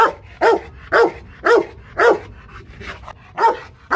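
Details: Rottweiler Loki Gervi, kept at a Vietnamese kennel in Hanoi, barking aggressively in a regular series of heavy, booming woofs about every half second, with a short pause near the middle.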